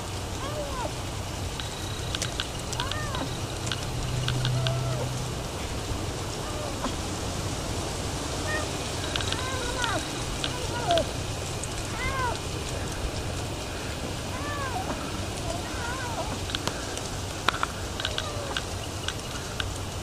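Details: Hungry feral kitten, brought to be fed by its feral mother, gives a series of short arched meows spread across twenty seconds, some overlapping, over a steady low rumble and scattered clicks.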